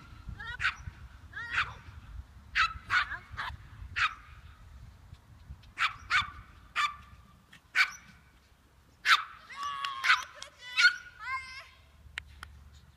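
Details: A Papillon disc dog barking during frisbee practice in July; sharp, high, yappy barks, single and in quick pairs, scattered over the clip with short gaps and a faint low rumble beneath.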